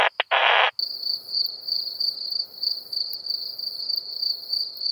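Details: Krauss's bush-cricket (Isophya kraussii) at Solnhofen, Germany, 17 June 2021, picked up with an ultrasound detector: a steady high hiss of short pulses after a brief loud burst of handling noise at the start.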